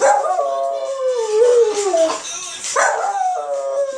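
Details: Pet Westie howling on hearing Sam Smith; a drawn-out descending howl followed by a second rising wail, loud and wavering, over quiet background music.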